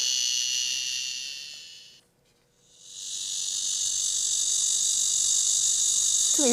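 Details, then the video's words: Blackish cicada (말매미), compared with the Korean cicada: a dense, steady, high-pitched buzzing drone that breaks off briefly, then resumes unbroken and even, with a short tonal blip at the end. "네, 말매미 울음소리로 넘어가 보시죠."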